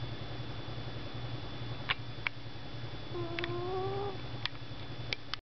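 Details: A pet cat snoring loudly while asleep on a desk, a low continuous rumble with one gently rising whistled tone near the end and scattered soft clicks.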